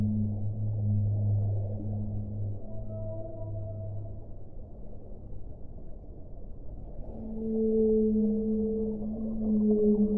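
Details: Whale sounds from a relaxation compilation: a deep, sustained low moan for the first four seconds, a thin higher tone in the middle, then overlapping mid-pitched drawn-out notes swelling in near the end over a steady hiss.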